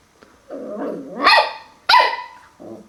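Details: First mirror encounter for Max the puppy: a soft growl rising into two loud, sharp barks, then a brief low rumble at the end.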